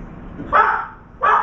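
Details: Dog barking near a veranda where a crow perched and a trapped turtle dove flapped: two short, mid-pitched woofs about seven-tenths of a second apart.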